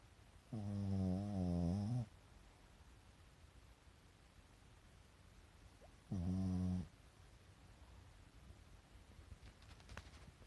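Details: Sleeping pet Pekingese, eyes rolled back to show the whites, gives two low, droning snores. The first is longer, the second shorter, about five seconds apart, with quiet stillness between.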